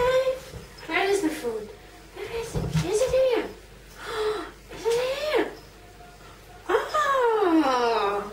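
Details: Hungry female house cat asking for food in a small room: a run of short meows that rise and fall, repeated every second or so, ending in one long falling wail, with a woman chatting to her in between.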